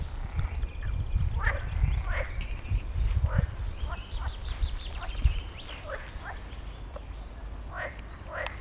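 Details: Several adult male water frogs call in spring breeding season from a pond at Arboretum Gimborn, Doorn, Netherlands, advertising presence and attracting females; uneven chorus of short, rasping croaks about one to two per second over low wind rumble.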